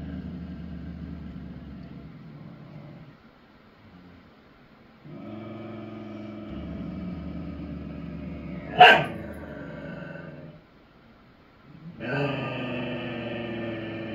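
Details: Dogs in a duet, giving long, steady, low harmonic howls in several sustained stretches separated by short pauses, with one sharp click partway through.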